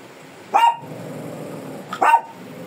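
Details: Shih Tzu described as fierce, being groomed; two short sharp barks about a second and a half apart over a low background hum.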